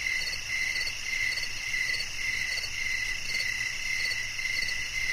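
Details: Crickets chirping in a relaxing nature-sounds recording for sleep: soft pulsed chirps repeating roughly twice a second, blurred into a steady high insect hum with layered shrill bands above.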